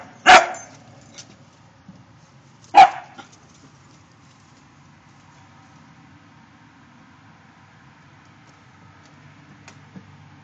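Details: Pet dog alerting to a deer in the backyard: two sharp, isolated barks about two and a half seconds apart, followed by quiet with faint background hum.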